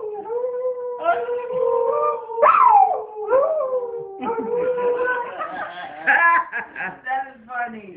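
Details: Singing dog howling in long, steady, tuneful tones broken by sudden rising and falling yips, ending in a run of short, choppy, warbling notes.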